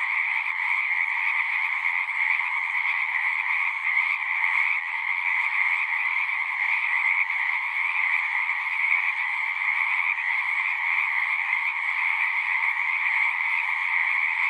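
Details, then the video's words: A frog chorus from a pond in a horse pasture, recorded on a Zoom recorder: countless overlapping piping trills merge into a constant, high, buzzing wash, with a quiet background and no other sounds. "Frogs singing"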